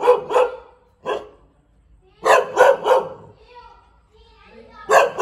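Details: Thai Bangkaew dog barking in short bursts of two or three sharp barks, groups spaced about a second apart, with a faint softer sound between bursts.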